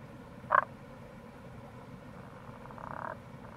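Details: April recording of a wild Tago's brown frog near a gorge along the Kamo River, Itoshima, Fukuoka, Japan: one short, strong grunting croak, then a faint buzzy pulsed phrase, set against an even low background hiss.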